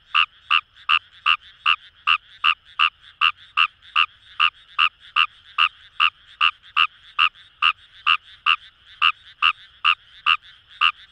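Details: Fejervarya kawamurai in rice paddies at Itoshima, Fukuoka Prefecture, Japan, keeps up an even, fast series of short grating croaks, about two and a half per second, over a quiet frog chorus.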